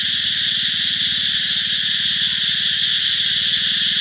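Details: Cicadas singing to announce that summer is coming: a loud, continuous dense buzzing drone, unbroken and steady in level throughout, with faint low pulsing underneath.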